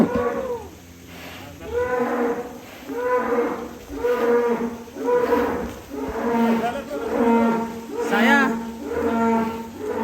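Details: Giant 'monster' cattle at a farm pen in Indonesia, raised for sale as Qurban sacrifice animals. Loud, harmonic moos repeat about once a second in a steady series, with faint background noise.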